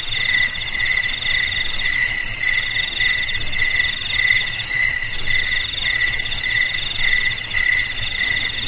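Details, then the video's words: Several crickets chirp at once in a dense, high-pitched chorus, each pulsing in short rhythmic bursts about twice a second, heard in a recording meant to scare rats out of homes and paddy fields. "Suara JANGKRIK Pengusir TIKUS Paling Ampuh untuk di Rumah,Garasi,Gudang,Sawah Agar Aman dari TIKUS"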